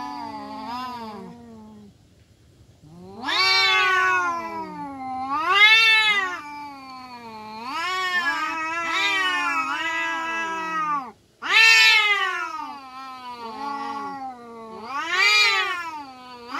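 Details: Free-roaming village cats fighting, a domestic kampung cat among them: long, wavering yowls rising and falling in pitch, several drawn-out howls in overlapping bouts with brief pauses, swelling into louder, harsher cries near the middle and end.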